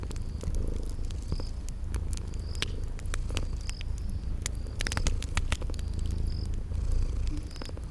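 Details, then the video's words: Low, even purr of sleeping kitties set against a crackling fire in a spring garden ambience, with frequent sharp crackles and sparse high chirps every second or so. "Sleeping Purring Kitties"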